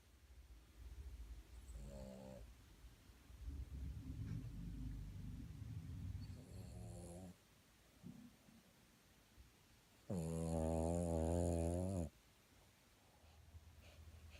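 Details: A 3.5-year-old Boston Terrier puppy snoring while napping: low rumbling breaths with short nasal snorts near two and seven seconds, then a loud, buzzing, two-second snore around ten seconds, before quiet breathing resumes.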